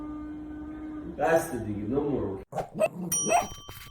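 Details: A Rottweiler, just kissed by his owner, makes wavering, talkative grumbles and moans, followed by a few ringing bell-like tones.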